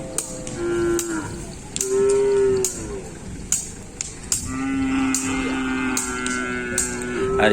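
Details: Bulls at a crowded kerapan sapi race training session in Pamekasan give several short and long moos, some wavering, over a busy background with repeated sharp cracks and distant voices.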